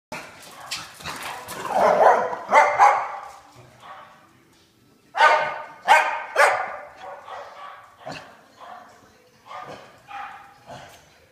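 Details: Two pet dogs, Pig and Joker, playing their daily game of tag, with Pig's noises heard. Irregular bursts of rough, growly barks and yips come in clusters separated by short quiet gaps.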